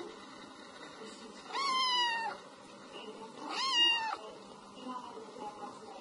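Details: Two clear, drawn-out meows from a domestic cat, its 'meo meo' used to chase mice away; each call rises briefly then slides gently downward, separated by about two seconds of quiet room noise.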